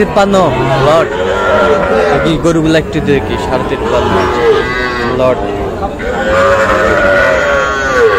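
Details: Sahiwal breed bull calves at a purchase by a Kushtia farmer, Friday 9 June: a run of overlapping bawling moos, some rising and then falling, while people talk nearby.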